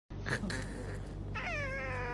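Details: Domestic cat giving a drawn-out meow with a clear harmonic, gently falling pitch, starting after a second of quieter rustling, over steady background music.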